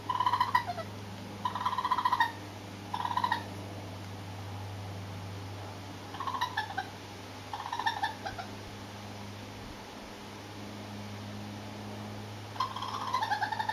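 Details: Four curious young urban raccoons passing across a home terrace, part of raccoon families visiting for left-out cat food, filmed close up; short whiny, harmonic calls come in bursts, some falling in pitch, about eight times over fourteen seconds, over a steady low hum.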